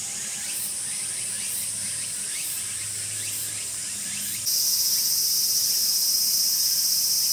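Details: Tsukutsuku-boshi cicada calling within a bout traced from beginning to end: high shrill buzz with evenly spaced pulses about once a second, then a sudden switch to a louder, unbroken droning buzz.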